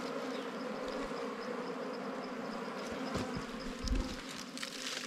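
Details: Steady insect drone from a wild bee colony found on a honey hunt, a constant low hum overlaid with crackling rustles and scraping around the three- to five-second mark.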